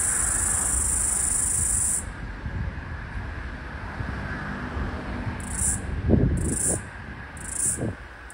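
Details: Australian floury baker, the summer's last cicada, by a busy street: a shrill buzz holds for two seconds and stops, then short high bursts return about every second, as if syncing with another caller, over passing traffic.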